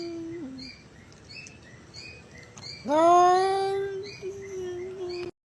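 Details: Crying cat: a soft, short low mew, a quiet pause, then one loud sustained meow that swells quickly and holds steady for over two seconds before stopping.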